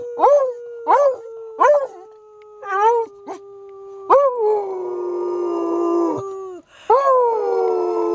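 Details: Male beagle prompted by its owner to bay before a walk: several short rising yelps, then a long sustained mournful bay, a brief pause and another drawn-out bay, with a human voice joining in.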